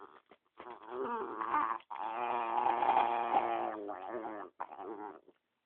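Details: Guarding the dog next to him, pet dog Spumoni produces a long, continuous, warbling growl-moan with rich harmonics, broken by short breaths into several sustained phrases.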